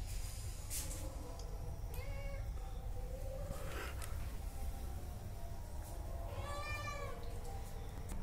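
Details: Hungry cats asking for food: two clear meows, a short one near the start and a longer arched meow later, over constant low rumble.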